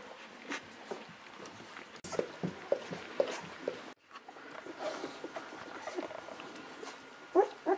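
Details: Golden Retriever puppies 11 to 13 days old, the litter of Aiko of Haarby and Lady Dina, giving soft, thin squeaks and whimpers at scattered moments, with a short bright squeal cluster near the end and faint room rustling.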